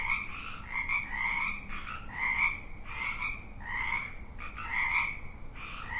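Frogs croak in steady, overlapping pulses, a harsh rhythmic chorus repeating roughly every half second.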